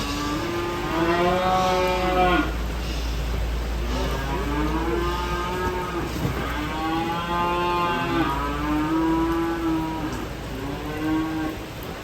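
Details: Cattle jumping down from a truck, lowing in several long, drawn-out moos with clear stacked harmonics, some rising then falling, over a steady low engine hum and a constant high electrical whine.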